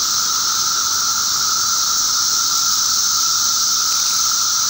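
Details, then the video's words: Periodical cicadas (Magicicada) in a mass emergence, eastern North America, May 19, 2011: a dense, unbroken droning chorus, a steady high hiss over a constant lower whine, with no pauses or pulses throughout. "Cicada hatch"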